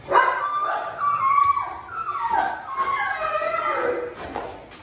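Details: Presa Canario dog called Xuanfeng, described as very thin, while its owner struggles to give it medicine; a high, tonal whimpering whine that slides downward in pitch over several seconds, with faint background noise.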